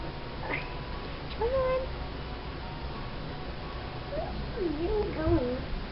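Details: Soft-coated Wheaten Terrier puppy whining, thin high wavering cries that rise and fall, one near the second mark and a cluster of short bending whimpers toward the end, over a faint steady hiss.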